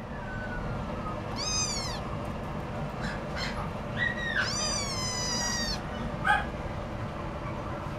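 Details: Scottish Fold cat giving a short, sliding meow followed by a longer, wavering, plaintive meow that holds and then falls, over a steady low room hum, with a faint click afterward.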